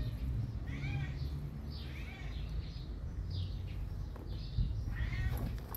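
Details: Domestic cats meowing indoors: several soft, rising-falling meows with clear harmonics spread across the clip, some overlapping, over a steady low rumbling hum.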